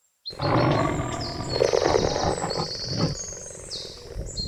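A cheetah gives a deep, rasping growl that swells and fades over a few seconds.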